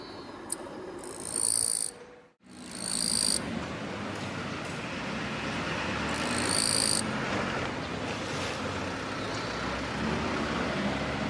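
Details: Courting male Gampsocleis mikado on an orange daylily bud in tall Chinese silver grass, rasping its forewings to draw a female: three harsh, shrill one-second buzzes in quick succession, then a steady hiss of background noise.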